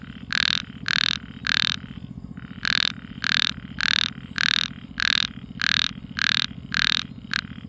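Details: Nighttime frog calls: evenly spaced, loud, buzzy croaks roughly twice per second, with one brief pause early on, over a constant low humming background.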